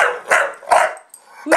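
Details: Buster, a pet Bulldog, barking as he reacts to a camera being switched on: two loud, harsh barks about half a second apart, then a third starting at the end.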